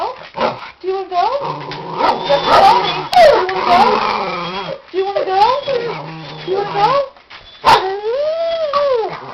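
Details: A female Papillon, five years old, yodels in anticipation of her walk. Expect a run of bending, wavering whines and warbles, several rising and falling glides, with brief sharp noises and human talk alongside.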